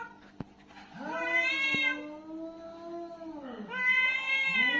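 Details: Angry, aggressive domestic cat in a fight, giving a long drawn-out yowl with a wavering tone that rises and falls over about three seconds, then a second yowl begins; a sharp click is heard near the start.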